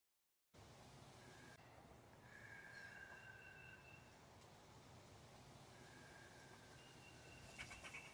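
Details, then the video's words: A fox squirrel in a tree above the Harpeth River gives drawn-out, whining alarm calls, warning at a person, over a steady rush of running water. "updated part 2 : Red Fox Squirrel warning me above the Harpeth River"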